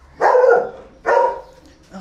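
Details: Paraluman, a Belgian Malinois, gives two deep, full barks about three quarters of a second apart, each ringing briefly before fading into quiet.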